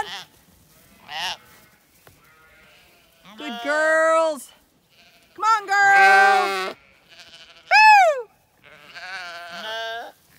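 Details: Several Zwartbles ewes on a County Kilkenny farm in Ireland bleat as they are called in for shearing day; wavering and falling bleats overlap, with a person's voice calling between them.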